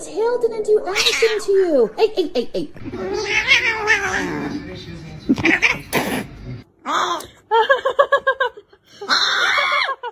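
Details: Indoor pet cat giving drawn-out, wavering meows and yowls that rise and fall, mixed with a person talking and laughing, short bursts of music and some scuffling noises.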